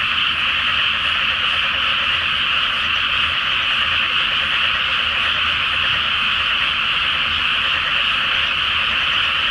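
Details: Frogs in a great chorus from a flooded rice field before planting, at night under a full moon; a dense, unbroken wall of overlapping croaks and trills holds steady throughout with no pauses.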